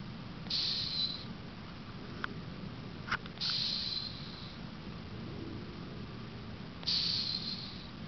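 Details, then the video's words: Cleo, an 18-year-old female cat, snores while asleep: faint wheezy whistles return roughly every three seconds over a soft breathy hiss, with a couple of small clicks in between. "Snoring cat"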